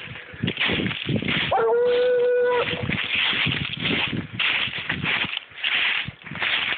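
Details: Clarence, a seven-year-old Treeing Walker Coonhound trail dog able to follow a deer's track for hours, gives one drawn-out, steady-pitched howling bawl lasting about a second, surrounded by loud rustling and crunching footsteps through brush.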